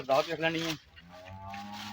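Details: Jersey cross cow offered for sale in Punjab, Pakistan, giving a short, low, rich moo lasting under a second, followed by a quieter steady hum in the background.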